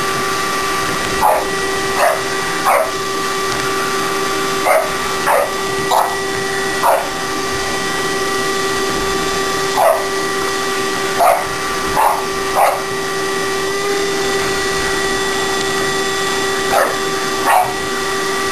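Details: Helping vacuum the shop, a shop dog in training gives repeated brief, high-pitched yips in small clusters every second or two, with a steady vacuum cleaner whine in the background.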